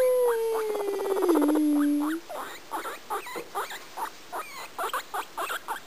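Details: A pet guinea pig named Kadoc singing: one long tone gliding downward over a pulsed texture, followed by a string of soft, irregular clicking pulses.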